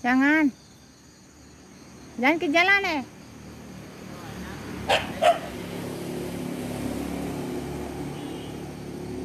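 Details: Dogs at play give drawn-out, wavering whine-like cries at the start and again in a quick triple burst, followed by two brief sharp barks; a low background hum continues throughout.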